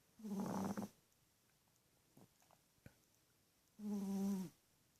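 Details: Snores from a sleeping little female teacup Chihuahua: two drawn-out, droning, nasal breaths about three seconds apart, each lasting under a second, with a few faint clicks between them.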